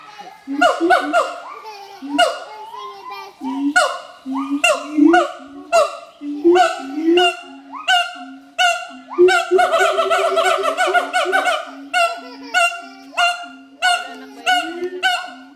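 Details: Adult pair of siamang gibbons duetting at Schmutzer Primate Center to advertise their territory; rapid series of loud barks and whooping notes, each burst rising steeply, speeding into a dense rolling climax midway.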